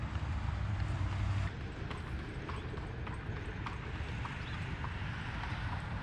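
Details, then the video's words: Horse pulling an Amish buggy in Lancaster, Pennsylvania, in fall 2025: quick, uneven clip-clop of hooves on pavement under a steady low rumble of wheels, with a brief louder stretch at the start. "Just the sound of it! Horse & Buggies"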